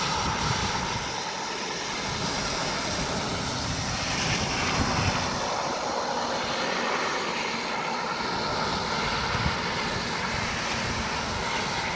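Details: Continuous propeller-aircraft engine roar with a dense, even rumble throughout and no animal sound.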